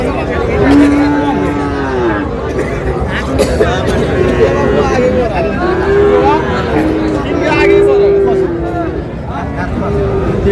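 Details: At the busy Raniganj cattle market in Dinajpur, where Friesian and cross-breed bull calves are sold, several short, low, steady moos sound at intervals beneath constant bargaining voices and crowd chatter.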